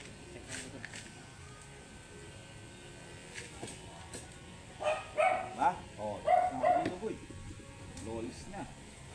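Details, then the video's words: A matted Shih Tzu protests its grooming with a quick burst of five or six sharp, yappy barks packed into about two seconds midway through, against faint clicks and room noise. "Angry and matted shihtzu"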